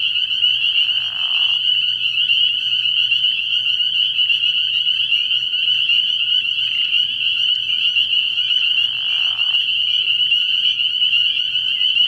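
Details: Many spring peepers in a nighttime frog pond chorus early in the year, their piercing high peeps blending into a continuous shrill wall. Two short, lower rasping bursts break in near the start and again later over a low hum.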